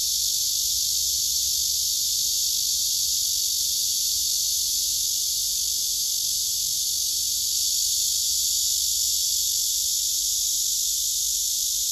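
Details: Singing male cicada on a tree, among several cicadas gathered there, phone recording: a constant rasping high-pitched drone, flat and unchanging in loudness from start to end.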